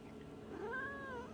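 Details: A female domestic cat at home 'talks' with a drawn-out meow that rises, holds steady, then dips slightly; she closes her eyes and wants attention.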